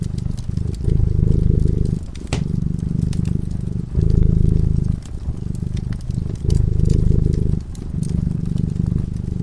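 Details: A cat dozing by the fireside purrs continuously, a deep vibrating hum pulsing in cycles of inhale and exhale about every two seconds, mixed with scattered sharp crackles from the fireplace.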